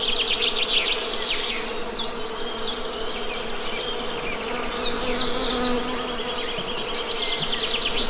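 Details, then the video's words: Honey bees hum steadily and densely, a level buzzing drone, as rapid repeated bird chirps and trills run above it from start to finish. "Best Honey Bee Sound!"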